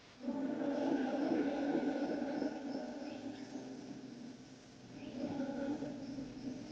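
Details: Howler monkeys in the Amazon rainforest roar in a low, guttural, grinding chorus for about four seconds, then after a brief lull the harsh roaring builds again; the call can carry up to 3 miles through thick forest.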